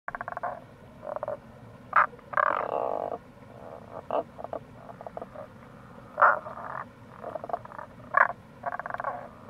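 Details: Tago's brown frogs calling near a gorge at the Kamo River, Itoshima, Fukuoka, Japan, in April: short low croaks and grating pulsed notes from several frogs overlapping, loud bursts every second or two over steady stream-like background noise.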